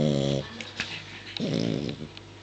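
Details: Pet dog snoring out of shot indoors in a small room: two low, rasping, buzzy snores, each about half a second long and roughly a second apart, with faint clicks and household noise between them.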